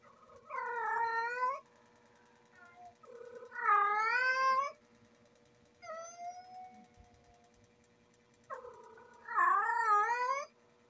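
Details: Female domestic cat in heat calling indoors: four drawn-out, wavering yowls about a second long each, harmonic-rich and slightly rising then falling, separated by short quiet gaps, with a faint steady hum behind.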